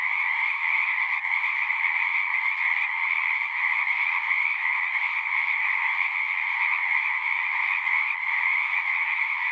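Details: Pond frogs in a horse pasture singing en masse, Zoom recording: constant overlapping trills forming a seamless, even drone at high and middle pitch, no breaks and no other voices.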